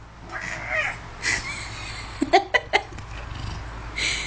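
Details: Domestic cat coaxed by a person to say the Hebrew word for fridge utters several short meows, then a burst of sharp clicky sounds and another meow at the end, with human voices and background hum.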